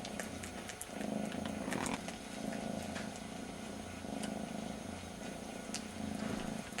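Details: One of two very young brother kittens, missing its mother, licks the other's ear; a rich rhythmic purr pulses with each breath, about once per second, with soft licking ticks above.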